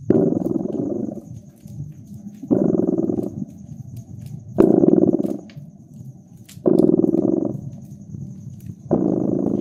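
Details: Purring cat next to a crackling hearth in winter ambience: five rhythmic purr surges, each about a second long and roughly two seconds apart, a steady vibrating drone, with sharp fire pops and a faint constant high tone.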